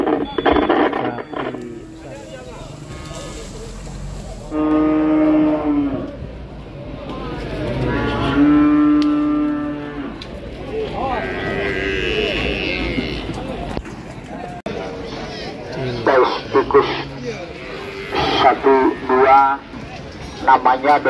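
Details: Large cattle at an Indonesian livestock market, where a rampaging animal sends traders running; two drawn-out, harmonic-rich moos rise out of busy crowd noise, with people talking and shuffling throughout and higher clatter near the end.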